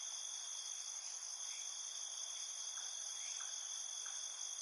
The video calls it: Ambience Night Field Cricket 01 Sound Effect